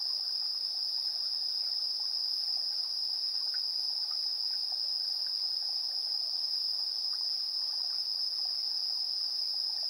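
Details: Chirping insects in the evening, 7:04 PM, 3 September 2022, recorded in stereo on a TASCAM Portacapture X8: a constant piercing ringing tone over sparse, softer chirps that come and go.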